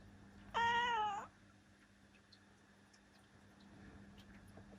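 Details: A single clear, level harmonic meow from Ciel, a female black cat aged seven, lasting under a second in a quiet room with faint hum.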